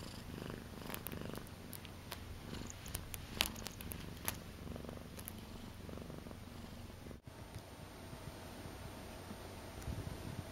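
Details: Akari, a female house cat, purrs quietly indoors during her first two months with her owners: a low, steady rumble with scattered soft clicks and rustles and a brief bump partway through.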